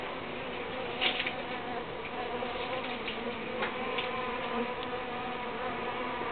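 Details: Continuous humming drone of uruçu bees, dense and even, with several faint sharp ticks and rustles scattered over the top.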